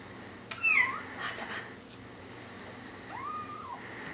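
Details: Bengal kittens, four weeks old, indoors: a few short high mews with rising-falling tone, then a softer drawn-out mew near the end, amid faint room noise and a person talking.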